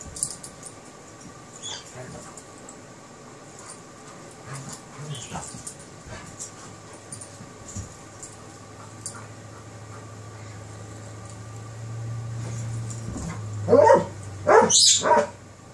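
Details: Kerry Blue Terrier puppy playing with an Airedale Terrier indoors; quiet scuffling and faint whimpers, then a burst of loud high yips and growly play noises near the end over a low steady hum.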